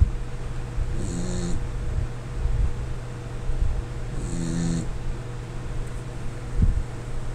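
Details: Lin Xiaolang the Corgi sleeps and snores, a pair of rough, low vibrating breaths about three seconds apart, layered with airy hiss, against a steady background hum and a few light taps.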